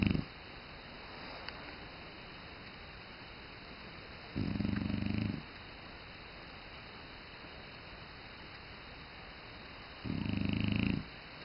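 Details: Snoring French Bulldog, with harsh, rattling snore bursts of about a second recurring roughly every five to six seconds over a soft continuous background hiss.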